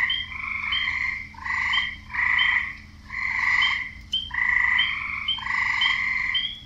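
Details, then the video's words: Male frogs croaking to draw in females, several voices overlapping in rough, buzzy pulsed croaks roughly once a second, each burst layered with brief higher notes and no other sounds. "Frogs croaking"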